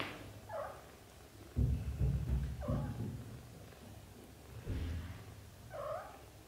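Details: British Shorthair kittens in their first 30 days, from a litter of four born to Samel and Leo, give three high, short mews about two seconds apart, with soft thumps and rustling underneath.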